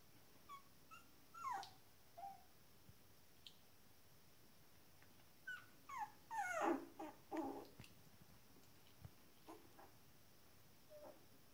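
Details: Shetland Sheepdog puppies, 19 days old, giving a scattered series of high, thin whimpers and squeaks, some falling in pitch, bunched most densely near the middle, in a quiet indoor room.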